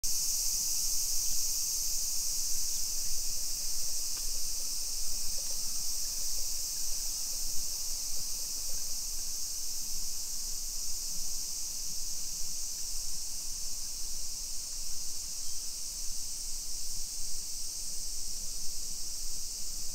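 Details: Summer cicadas on a 2 PM walk on 28 July 2021 through a suburban neighborhood of Nisshin city, Aichi, Japan: a steady, dense, high hissing buzz that never breaks, over low rumbling background noise.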